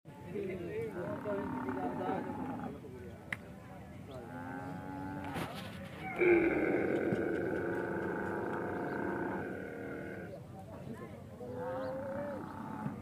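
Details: Camel in the Thar Desert of Tharparkar, Sindh, Pakistan, during the mating season: deep, harmonic groaning roars drawn out over several seconds, with a louder, fuller burst midway, then quieter moaning tones.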